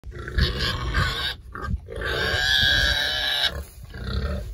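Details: Berkshire pigs are sprayed for external parasites before winter and roll around enjoying it. Loud, drawn-out, harmonic squeals last over a second at a time, with short grunts and rustling between them.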